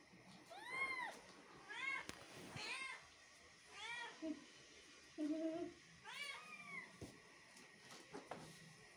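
A Persian cat meows repeatedly, each call a rich, arching wail that swells and falls away. Softer, lower murmuring sounds and faint room noise fill the gaps between calls.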